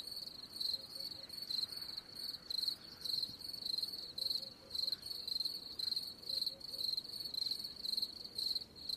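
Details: A cricket sings in shrill, buzzy pulses, grouped chirps repeating at a steady pace, with soft ambient hiss beneath.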